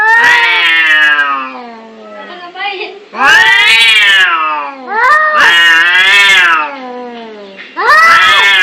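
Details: Angry domestic cats fighting, loud drawn-out caterwauling yowls with rich harmonics, rising and falling in long wails, separated by brief quieter moments and a short muttering growl.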